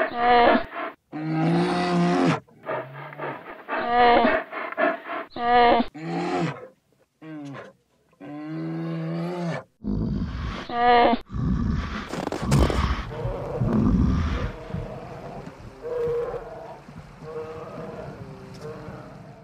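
A polar bear gives a run of deep, moaning calls, then rougher, rumbling growls.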